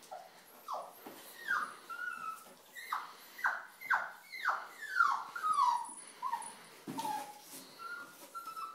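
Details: A puppy stuck in a tissue box cries at 4:45 in the morning: a series of high, falling whines and yelps, roughly two per second, each sliding downward, with some knocking in between.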